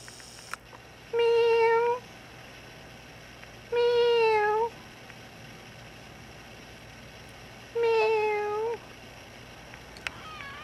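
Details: Formerly abandoned female house cat, taken in after an injury and now kept indoors in an apartment, meows to ask to go outside: three clear, drawn-out mid-pitched meows about a second each, spaced two to four seconds apart over quiet room noise.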